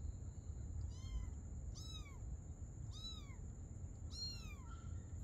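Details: A mother cat and her kitten playing together at night; four high, arched meows rich in harmonics, each rising then sliding down, spaced about a second apart over a steady low hum and a faint high tone.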